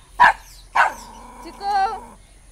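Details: Indian Spitz dog barking at another Indian Spitz, two short loud barks in quick succession followed by a drawn-out whining, wavering tone that trails off.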